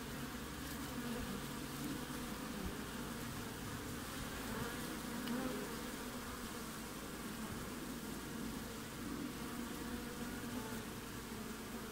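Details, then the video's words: Winter activity at a hive entrance in Australia, recorded 20 June: many bees make a continuous, even buzzing drone that holds steady for the whole stretch, with slight swells in loudness. "WINTER BEES front of the Hive Acivity"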